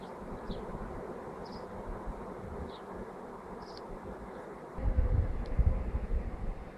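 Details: Swarming bees recorded on 24 May 2011: a dense, steady low buzzing hum fills the whole recording, with faint short chirps above it and a louder rumbling burst in the final two seconds.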